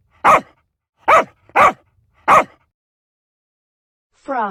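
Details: Dog barks in an animal-sound lesson for kids: four short, sharp barks spaced unevenly, then a different drawn-out tonal sound begins at the end.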